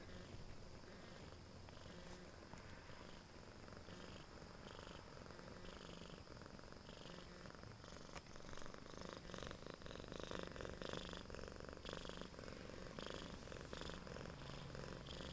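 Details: Baby, a female Siamese cat at home, purrs steadily, a low rumbling throb that pulses about twice each second; recorded 27 September 2011.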